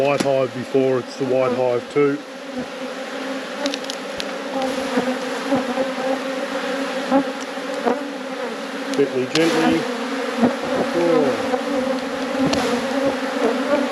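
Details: Honey bees in a managed apiary during a hive inspection give a steady, low droning hum that runs without a break. A man's voice talks over the first two seconds and briefly again near the tenth second.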